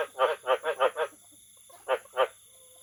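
A frog gives a quick run of five harsh, nasal croaks, then two more after a pause.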